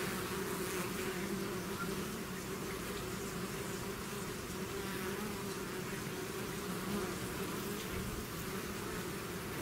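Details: Bees swarming out of their hive produce an even, unbroken mass of buzzing, a low steady hum with a hissing wash above it throughout.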